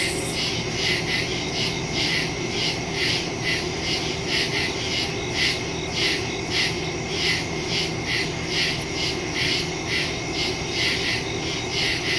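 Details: Woods at night full of crickets, September 2, 2023, phone recording through a Shure MV88+ stereo microphone: steady high-pitched trilling chorus, rhythmic bursts repeating near twice each second, constant background insect drone.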